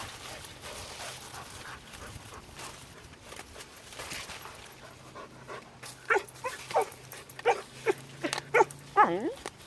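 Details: A red fox, trying to get a chipmunk, gives a run of short, high whining yips ending in a long, falling whine.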